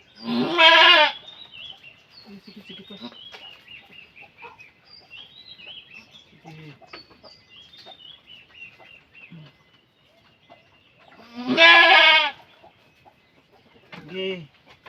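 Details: A goat giving birth calls out with a loud quavering bleat at the start, then a long quiet stretch of small-bird chirping before a second strong bleat and a brief softer one near the end.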